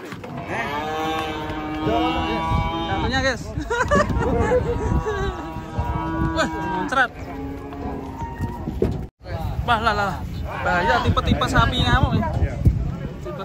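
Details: Banteng, agitated after escaping during unloading from a truck, lowing in long, deep, sustained moos that swell and fade over several seconds, overlapped by excited people shouting and a brief drop to near silence partway through.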